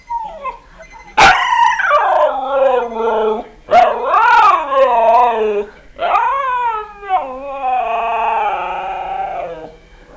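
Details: One-year-old husky howling at an alarm, loud sustained harmonic howls that rise then fall in pitch, several long wavering notes in succession with sharp yelps breaking in between.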